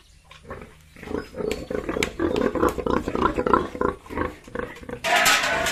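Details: Yorkshire and Hampshire pigs on a farm in Bongaigaon, Assam, giving rapid overlapping grunts and snorts, several animals together, ending in a harsh loud squeal-like burst.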